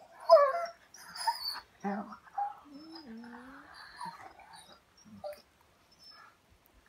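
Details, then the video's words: Pet German Shorthaired Pointer answering back at home with a bending, yodel-like groaning whine that rises then dips, amid a person's voice and quiet room sounds. "Dog talks back"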